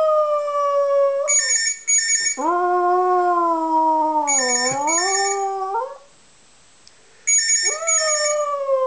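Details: A dog gives long mournful howls, one held about three and a half seconds and bending down then up, with shorter howls before and after, while a bright electronic ringtone chirps in repeated bursts.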